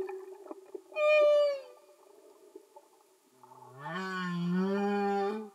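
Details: Underwater humpback whale singing, a brief high tonal wail that dips at the end, followed after a pause by a long rising, buzzy, richly harmonic groan over a faint hiss of sea noise.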